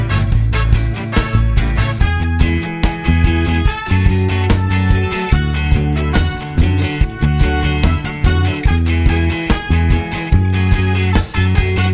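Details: Loud rock music with driving guitar and drums, a steady beat and no animal sounds.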